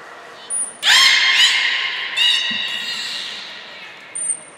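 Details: Belugas Hodoi, Taanya and Mirai at Nagoya Port Aquarium, Japan, training and changing pools on 14 March 2021. A rising harmonic squeal runs into a rougher buzzing call, framed by short high thin tones at the start and end.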